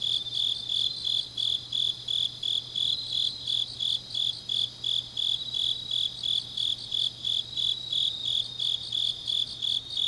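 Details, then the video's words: Deep-night autumn chorus of grass insects in Changnyeong, Korea: a regular high-pitched chirp repeating nearly three times a second, layered over a dense constant trill of further insects and a faint low hum. "깊은밤 가을 풀벌레 소리"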